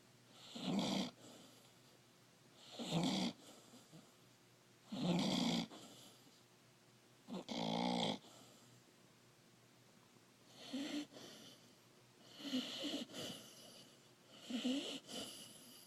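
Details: Sleeping puppy Kia snores in a small quiet room, giving harsh, throaty inhalations about every two seconds, some of them doubled or stretched, with near-silence between the breaths.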